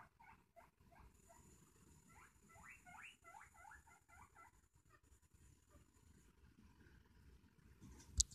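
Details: Guinea pig excitedly saying hello with bursts of fast rising squeaks in clustered runs for about four seconds, then a quieter stretch of low rustling and a sharp click at the end.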